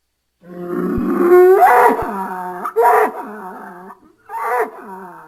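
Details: A bull groans and bellows on a farm: a long rough low call sweeping upward, followed by two shorter strained bellows separated by brief pauses.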